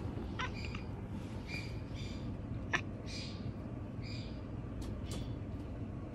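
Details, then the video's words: Mochi, a male pet cat, murmuring at night in a run of quiet 'nyanyanya' sounds: faint, short high chirping meows spaced about half a second apart, softly repeated over a low indoor hum, with one sharp tap. "夜中に「にゃにゃにゃにゃ」と呟き始めた猫が可愛すぎる cat that meows “nyanyanyanya" is just too cute."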